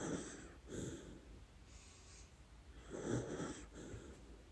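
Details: Lady Ruby, a dachshund, snoring through her dreams: soft wheezy, breathy snores in short puffs roughly every second, some with a faint squeaky whistle, fairly quiet overall.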